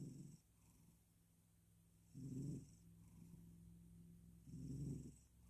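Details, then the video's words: Male cat drifting off to sleep while purring and snoring; low, rumbling breaths that swell about every two and a half seconds, with a steady hum between them. "Purring And Snoring Himself To Sleep"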